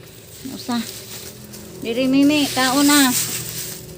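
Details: Goats being fed their evening meal. One brief bleat, then two long, loud, trembling bleats follow one after the other, over a low background hum.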